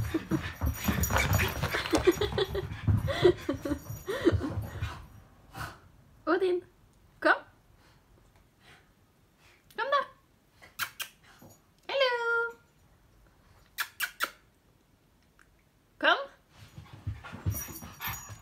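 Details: A male Staffordshire Bull Terrier puppy with the zoomies, tiring after a long run of high-energy racing around and growing sleepy, gives short, sharp yips and whiny yelps after a person talks.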